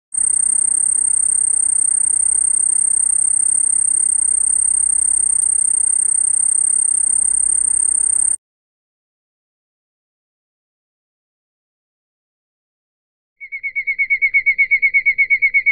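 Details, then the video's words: A field cricket calls at night with a high, steady trill, then a rapid run of pulsed chirps made with its wings. "Power of wings (field cricket)"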